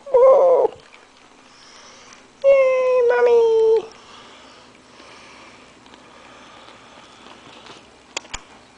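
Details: Five-week-old Maltese/Yorkie (Morkie) puppies trying to get to their mother, giving two high, falling whines, one short and one longer, with a woman talking softly around them in a small indoor room.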